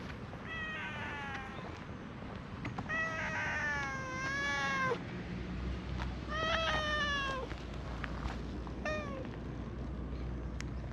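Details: Brown-and-white community cat in a park meows in a cute voice while being petted and stretching out; four clear harmonic meows, the second long and drawn out, then a short final one, over low background rumble.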